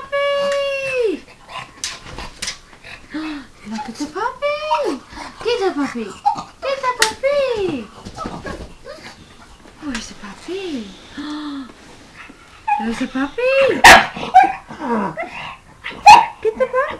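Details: Pug indoors barking at a computer, apparently believing a dog is inside it; repeated high, arching yelping barks and whines in irregular bursts, mixed with human speech in a small room.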